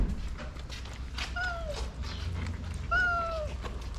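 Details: Cats in Morocco coming one after another to plates of food at feeding time; two clear falling meows with bright harmonics, the second longer, over clattering, shuffling and low rumbling background noise.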